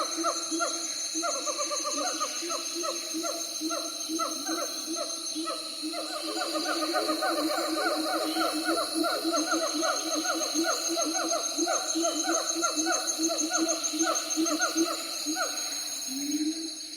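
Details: Several siamangs calling together in a dense ambience: rapid hooting notes, each sliding up then down, repeat several times a second with overlapping voices. A steady high thin whine runs underneath throughout.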